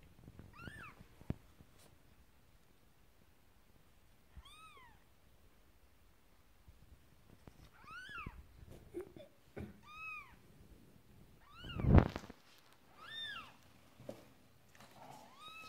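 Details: Marley the Persian cat giving birth, kitten number two arriving: a series of about eight short, arched mews spaced roughly one to two seconds apart, with a loud thump near the end and light rustling.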